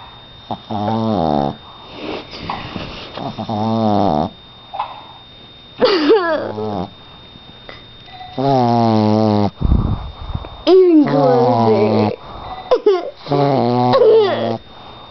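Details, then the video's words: Boston Terrier snoring like an old man, heard indoors: long, droning, harmonic snores of one to two seconds each, some wavering and rising, separated by short quiet breaths at an uneven pace. "Dog snoring...hilarious!!!"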